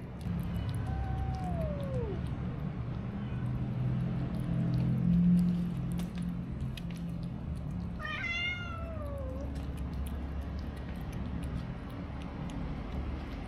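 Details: Stray kittens being given a little food, recorded on a DJI Osmo Action: a falling meow near two seconds and a higher, sharply bending meow around eight seconds over steady low rumbling background noise.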